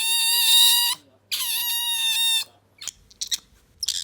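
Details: Bingo the otter, a pet that has lately been calling often, producing a brand new squeaking sound it could not make before, described as a rolling 'gyururururu': two long, bright, buzzy harmonic squeals, then faint clicks and rustles.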